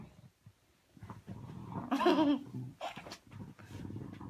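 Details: Frustrated at failing to find her ball under the covers, Ivy the bulldog lets out a loud, drawn-out whining groan midway, framed by soft low grunts and snuffles indoors.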